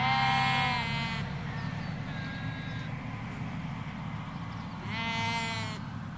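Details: Sheep, ewes with lambs in a field in the Hampshire countryside, England: two loud harmonic bleats, the first about a second long and the second near five seconds, with a quieter bleat between them over steady low road rumble.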